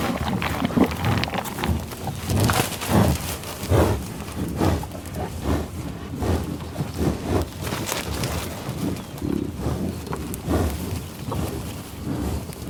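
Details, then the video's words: On Oklahoma's tallgrass prairie at Pawhuska, bison give husky, irregular snuffling breaths, about seventy bursts a minute, some thickening into short low grunts, over a soft outdoor rustle. "Buffalo Sound Effect"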